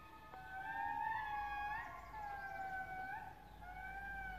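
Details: Indris (babakoto lemurs) in Madagascar sing, recorded 01/09/2018, wailing in long, siren-like notes that slide up and down and overlap in a loud chorus.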